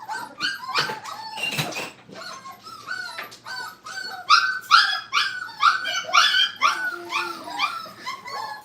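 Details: Crated Brittany puppies, five weeks old, at a kennel for crate training, producing rapid strings of short yips and whimpers, roughly two per second, growing louder and busier toward the middle as several pups call together.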